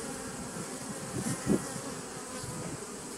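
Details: Short burst of honey bee hum from a 2017 nucleus colony, recorded 27 September 2018. A low, rough drone carries a couple of louder buzzing swells near the middle.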